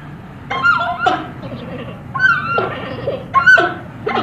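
Giant panda giving short, wavering, bleat-like calls in bursts about a second apart.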